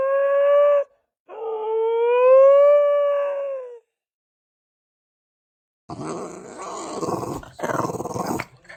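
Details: Domestic dog 'talking' in a funny pet compilation: a short tonal howl, a brief pause, then a longer wavering howl that gently rises and falls, followed after silence by rough, noisy grumbling and rustling sounds.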